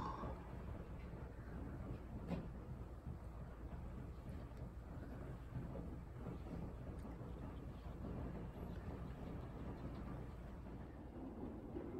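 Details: Faint low rumbling room noise with a few soft clicks and knocks, and no clear animal voice.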